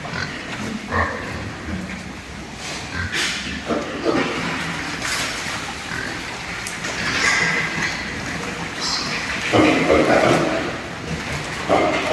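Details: Super lean pigs over three months old, born on a pig farm; scattered short grunts and squeals amid general barn clatter and background noise.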